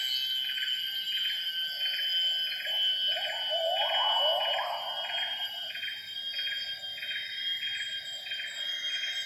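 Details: Wild gibbons sing at 07:58 in the primary rainforest of Semenggoh Nature Reserve near Kuching, Borneo. A rising, warbling surge of calls swells for about two seconds in mid-clip. Dense pulsing insect choruses and steady high buzzing fill the background.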